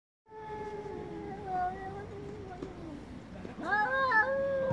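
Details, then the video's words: Angry domestic cats in a loud chorus: long wavering drawn-out yowls, then a sharp rising meow with rich overtones near the end. "Cats meowing very loudly │Angry cats chorus"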